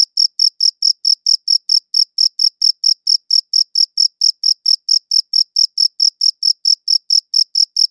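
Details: Cricket giving a regular run of short, high chirps, close to four each second, each a tight burst of pulses, heard alone in a quiet setting.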